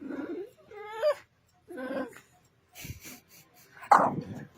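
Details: PheePhee, a female pet dog, makes weird noises after her belly rub stops: three short, high, harmonic whines, the second rising sharply near its end, followed by a human voice and a sharp noise.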